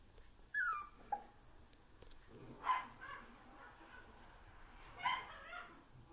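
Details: Female salt-and-pepper Miniature Schnauzer puppy, born 24 September 2020, filmed 10 November. Thin high whimpering squeaks, one sliding downward, then two brief yelping bursts near the third and fifth seconds over a quiet room hum.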